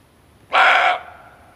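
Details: One harsh, gruff bark from a male barking deer, in a recording meant for hunting. It bursts out suddenly, lasts about half a second, and dies away with a faint echo in near silence.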